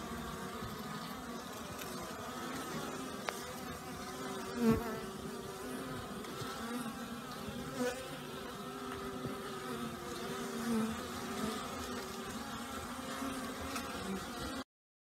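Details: Many honey bees active outside in unusually warm new-year weather following heavy overnight rain; continuous layered buzzing drone, occasional single bees droning past the microphone, ending abruptly.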